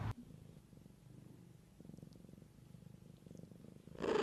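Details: Soft continuous purring from a mother cat looking after her kittens, low pulsing rumble swelling and fading in waves, ending with a sudden loud rustling burst.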